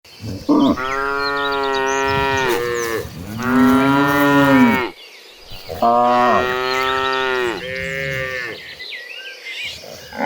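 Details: Several tame cattle being herded toward a green pasture give deep, rich, drawn-out moos, each swelling then sagging in pitch, calls overlapping one after another with brief pauses between the long bellows; cow.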